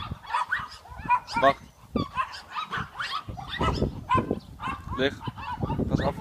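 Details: Boerboel x American Staffordshire mother and her boerboel x amstaff x XL Bully daughter play-fighting. Harsh snarls and throaty growls come in quick irregular bursts, mixed with thumping, scuffling and a man's voice.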